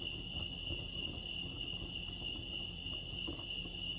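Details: At Lake Arrowhead in California, crickets keep up a continuous shrill ringing tone over a low murmur of ambient noise.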